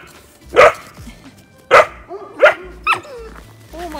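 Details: Central Asian Shepherd Dog (Alabai) puppy barking: four loud short barks in an uneven run, then softer whining yips, with quiet music in the background.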